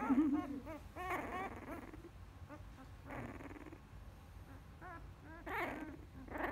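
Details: Field-line Labrador Retriever pup, nine days old, growling while stroked in a hand: a low wavering rumble at first, then bursts of squeaky, strained grunts and whines, with quiet indoor background.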